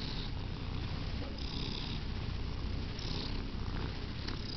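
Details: Close, loud purr from Sandy, a domestic cat enjoying her favorite thing; dense low vibrating drone, steady in rhythm, with brief soft hissy breaths between cycles.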